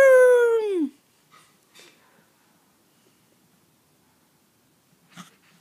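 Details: A 3-month-old Basset Hound puppy gives one loud, drawn-out whine that slides down in pitch and ends abruptly.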